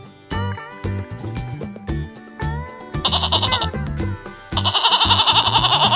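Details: Farm goat bleating in two quavering, strongly pulsing bursts in the second half, the second longer, over loud rhythmic background music.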